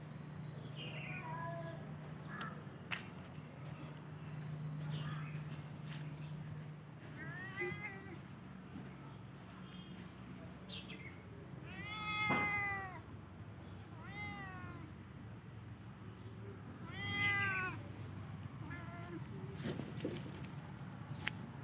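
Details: Cats during the festive spring season: several arched, harmonic meows rise then fall, spaced a few seconds apart and loudest near the middle and later, over a steady low hum with scattered clicks and faint voices.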